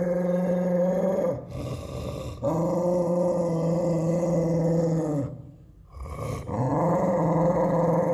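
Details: Tiger, an American Pit Bull Terrier, growling aggressively: long, deep, sustained rumbling growls each lasting several seconds, separated by short breaths and pauses.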